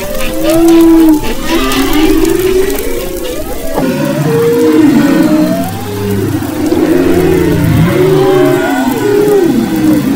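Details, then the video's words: Humpback whales singing off western Maui, February 2011: steady low moans and rising-falling tonal units, a short abrupt shift midway, then dense overlapping chorus of mid-pitched calls. "Humpback Whales and Their Songs"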